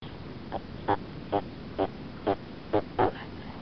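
A red-footed tortoise gives short, hoarse clucks repeated about twice a second.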